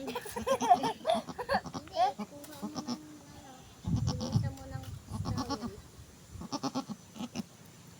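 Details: Domestic goat that has just given birth, calling in short wavering bleats scattered across the recording, overlapped by people talking nearby and some handling noise.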